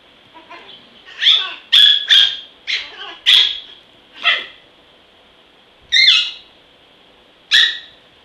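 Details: Shrill, snappy barks from Zen, a small and reportedly vicious dog, come in an uneven string of six close yaps, a brief pause, then two more spaced single barks, over a faint high background hum.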